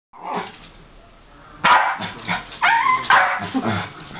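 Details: West Highland White Terrier indoors, watching little dogs run in the agility contest at Crufts 2008 on television; after a faint opening sound, a rapid run of sharp, harmonic yapping barks fills the second half.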